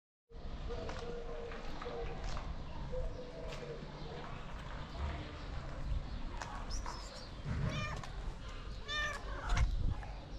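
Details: Angry stray kitten in Morocco fights and refuses treatment while its mother cat watches. A rustling, rumbling stretch gives way to several short, high, harmonic meows in quick succession near the end, over steady low background noise.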